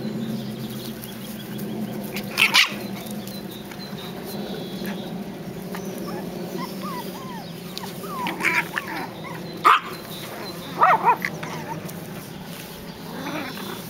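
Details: Biewer Yorkshire Terrier puppies, seven weeks old, at the breeder's kennel during early training on a pond bridge and a swing. Short, high yips and sharp barks come in scattered bursts amid soft whimpering, over a steady low background hum.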